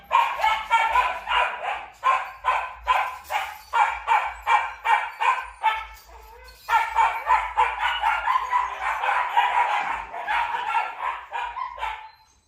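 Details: Purebred Malinois, a Belgian shepherd dog kept at a Vietnamese breeding kennel, barks steadily and rapidly, about three barks a second, in a long sustained series broken by one short pause.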